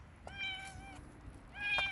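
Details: Wild street cats, about ten gathered outdoors for feeding; one cat gives two clear, drawn-out meows, the first long and level, the second after a short pause, briefer and rising then falling, with faint rustling behind.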